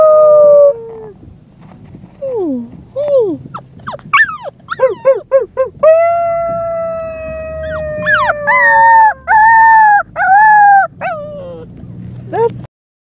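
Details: A small female white Siberian Husky puppy, on the day she was brought home, howls in long, wavering tones broken by short yips and whines.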